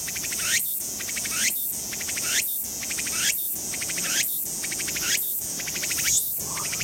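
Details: Walker's cicada (Meimuna opalifera, tsukutsuku-boshi) sings in a park on 7 September 2019: loud, high buzzing pulses with a rising sweep and rapid ticking phrase repeating roughly every second, over a steady cicada chorus; finding: Walker's cicada.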